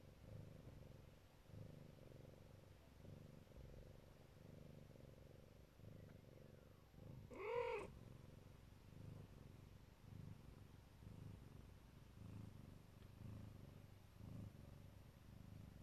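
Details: Siberian (Neva Masquerade) mother cat purring while lovingly protecting her kittens; a steady low rumbling purr runs throughout, pulsing with her breathing, broken once midway by a short, higher mewing cry.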